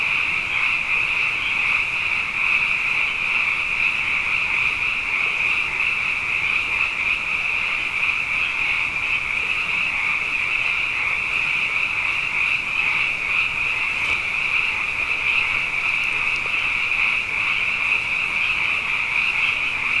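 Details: Many frogs, abundant after two wet years in a row, calling at night in a dense, unbroken chorus: a steady shimmering high trill band with a lower buzzing layer beneath, with no pauses across twenty seconds and no other clear sounds.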